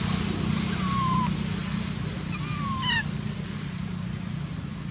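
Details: A monkey that could not use her legs gives thin, falling whistled cries, calling another monkey to help her up a tree where little baby monkeys are, over a steady low hum.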